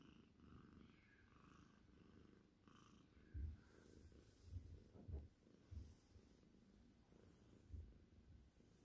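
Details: Cornish Rex cat, seal tortie point with white, purring indoors: a quiet, continuous low rumble with several louder soft thumps, and a faint voice and light handling noise in the background.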